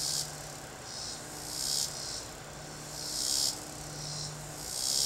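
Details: Cicada singing from a tree: drawn-out, high buzzing swells, each lasting about a second or more and rising in loudness before cutting off, over a low steady hum of background noise.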